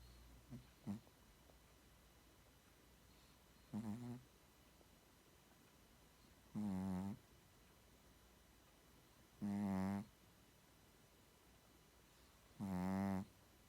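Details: Sleeping Shih Tzu snoring: a low, harmonic rasp repeating roughly every three seconds in a quiet room, each snore about half a second long, with two short soft snorts at the start.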